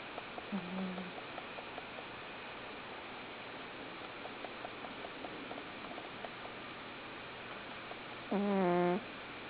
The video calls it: A sleeping snoring bengal cat